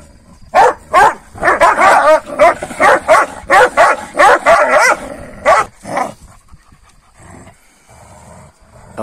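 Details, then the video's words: Morning quarrel among Kangal dogs, fed rabbit the night before: a rapid run of about a dozen loud, coarse barks at roughly two per second, fading to quiet near the end. "GECE TAVŞAN VERDİM KANGALLAR SAHBAHA BİRBİRİNE SATAŞTILAR"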